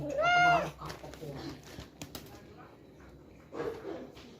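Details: Village cat giving one clear, drawn-out meow in the first half second, its tone rising then holding level, followed by soft rustling and faint voices.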